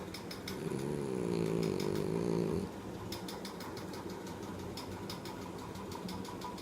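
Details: Ale, a French Bulldog, snores while asleep: a loud, rasping, low harmonic buzz runs from about 0.6 to 2.7 seconds, followed by quieter steady breathing with faint ticking clicks.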